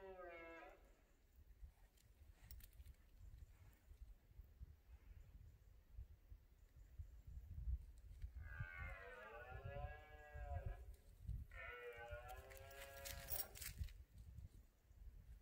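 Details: At night during the rut in a cork-oak sierra in Spain, a red deer stag gives long, moaning rutting roars with a rich, wavering tone against a low rumble.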